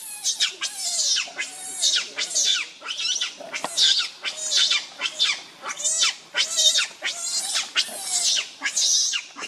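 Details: Very hungry baby monkey crying to its mother for milk: insistent shrill wails repeated about 82 times a minute, each a sharp high-pitched burst falling away, steady and unrelenting.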